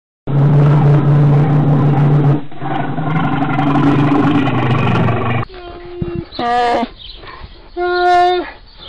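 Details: Bear giving a deep, rough growling roar for about five seconds, then a pause and a few shorter, tonal moaning bawls with clear harmonics.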